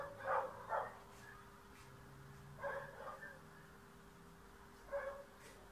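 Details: In Bulgaria, a dog chasing a cat out of the yard lets out a few spaced, ringing barks in pairs and singles with long quiet gaps, over a constant low electrical hum.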